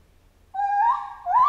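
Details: A chimpanzee lets out a long, steady hooting cry that swells upward in pitch, dips, then rises again, cut off abruptly.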